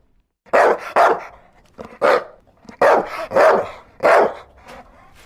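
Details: Dog giving loud, deep, rough barks, roughly six in five seconds, some in quick pairs, with short quiet gaps between.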